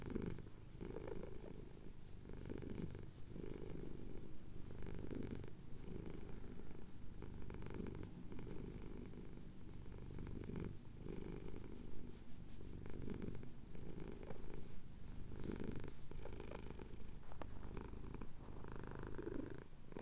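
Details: Male domestic cat purring while having his chin scratched, as the sun rises over the Cotswold hills, captured on a Tascam DR-07X; a deep, steady rumble rising and falling with each breath, the cycles pulsing through twenty seconds.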